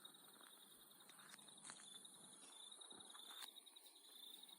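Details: A steady Australian nighttime insect chorus of continuous high shrill trilling, with faint scattered clicks.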